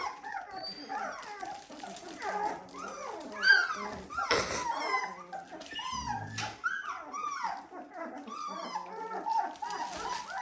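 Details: Dalmatian pups, 17 days old, crying in a dense chorus of arched squeals and whimpers that rise and fall, punctuated by a sharp knock and some rustling, with a person speaking faintly.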